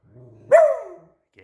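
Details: A single sharp, loud bark from a pet Beagle excited by a squeaky toy, cut off quickly after a short low murmur, with a person's voice starting right after.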